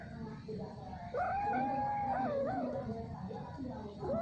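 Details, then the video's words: Mating domestic cat, described as mating again and again for a long time, gives one long, wavering, moaning yowl that bends down and back up, with another yowl starting at the end; constant low hum beneath. "Kucing Kawin Keluar Suara Aneh"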